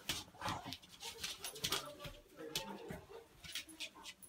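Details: Dog in a hallway during a Christmas party, where a Beagle puppy and a Labrador were left alone together; short whines and yips come in quick bursts, with people's voices and indoor clatter around them.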